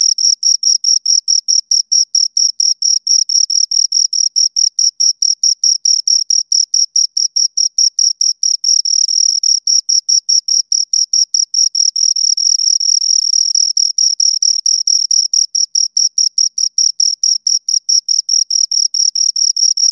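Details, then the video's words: Two crickets chirping continuously, a long string of quick, piercing high pulses; in places the chirps blur together as both insects overlap, then return to separate, evenly spaced beats. Quiet background otherwise. "Two Crickets Chirp Sounds"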